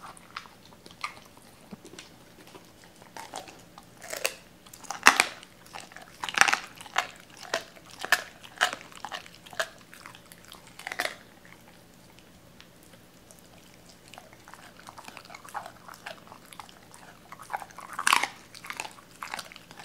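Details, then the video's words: Doberman Cola biting and crunching raw chicken bones indoors after being given cut pieces; clusters of loud crisp crunches and bites between quieter wet chewing, with pauses. "도베르만 생닭 먹방 ASMR"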